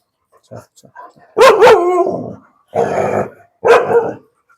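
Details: Dogs in a breeding kennel, scolded for fighting among themselves. Three loud, harsh bark bursts, the first doubled, with a man's voice speaking between them.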